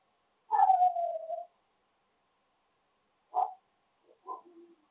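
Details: Dogs barking at 10 PM: one drawn-out falling yelp-like bark lasting about a second, then after a long silence a short sharp bark and a few softer broken whimpering notes.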